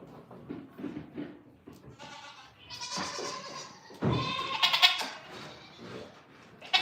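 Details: Farm goats giving a few strained, buzzy bleats from about 3 to 5 seconds. Shuffling, thumps and faint music or voices fill the gaps around them.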